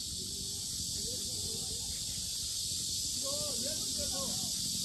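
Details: Very loud cicadas around the Asan Sinjeongho Lake lotus grounds give a constant high hissing buzz, while people's voices murmur faintly in the background.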